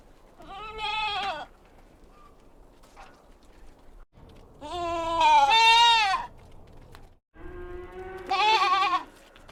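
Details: Kid goats at a farm on a mountain giving three loud, quavering bleats, the middle one longest and strongest, each rich in harmonics and separated by a couple of seconds of near silence.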